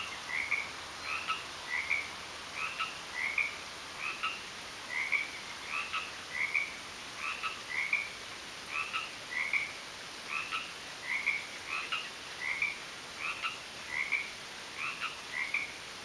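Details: Frogs calling in a garden: short, bright chirping croaks with a lower undertone, repeated steadily about twice a second across sixteen seconds, several seeming to alternate, over a constant high hiss.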